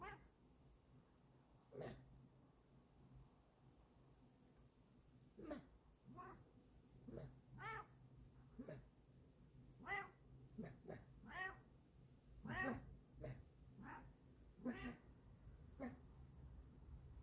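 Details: Pet cat after getting vacuumed, meowing again and again: short, wavering meows repeated every second or so, some rising then falling, with a steady faint hum in the background.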